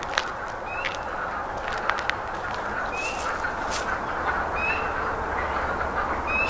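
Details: A distant chorus of male wood frogs gives a steady, duck-like clucking murmur as a mating call in their breeding season, with a few birds singing over it.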